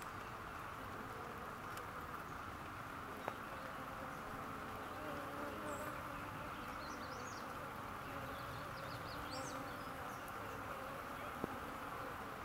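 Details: Farm honey bees active on a rainy day: a steady, droning buzz with a low hum throughout and a couple of faint sharp clicks.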